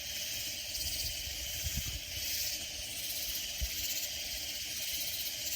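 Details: Katydids near San Antonio in the Texas Hill Country fill the air with a steady, dense, high-pitched hissing buzz, the sound surrounding the recordist while sleeping.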